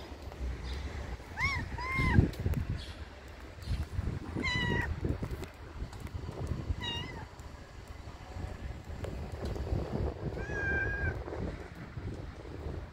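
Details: Cat at the vet meowing repeatedly: drawn-out, arched wailing meows spaced a few seconds apart, some rising then falling, over a steady low hum and clinic background noise.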